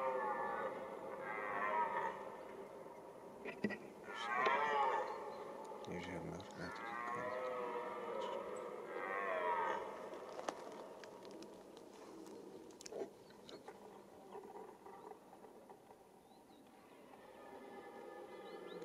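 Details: Rutting red deer in the mating season giving repeated rough, drawn-out roars roughly every two to three seconds, each bout rising then dropping away, with occasional clicks and handling noise between calls.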